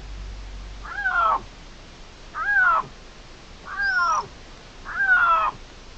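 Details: Young dispersing male Iberian lynx at Cerro Escribano, Spain, 16 June 2023, meowing to make itself noticed while two males claim the territory; four drawn-out, slightly falling meows, roughly one every 1.3 seconds, with a faint hum.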